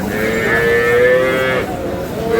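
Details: Cattle at a weekly market in Aftabganj, Dinajpur, Bangladesh, where cows with calves are traded; one long, level moo of about a second and a half, then another starting, against market hubbub.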